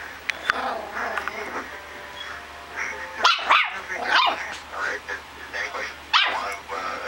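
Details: Small puppy letting out quick, high-pitched yelps and squeaks in clusters, rising and falling in pitch, mixed with faint background chatter and occasional sharp knocks.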